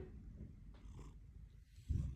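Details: Orange pet cat purring indoors: a soft, steady low rumble running throughout, with a louder throaty swell near the end and a person speaking quietly nearby.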